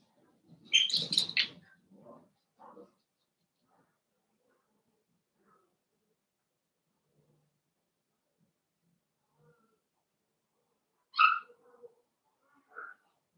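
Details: Cavalier King Charles Spaniel puppies at play in a home puppy pen open with a shrill, loud squealing yelp burst. A few soft whimpers follow, then quiet, then another sharp squeak and a brief whine near the end.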